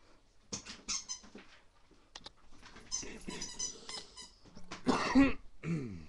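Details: Rottweiler puppy, kept indoors, in a wild burst of play: scattered scrabbling and thumping bursts, short squeaks and breathy snorts, then a brief falling whine near the end, with a person repeatedly calling the puppy to come in the background.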